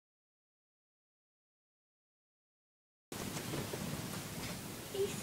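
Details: Three seconds of silence give way to broadband hiss and rustling, with no clear animal call.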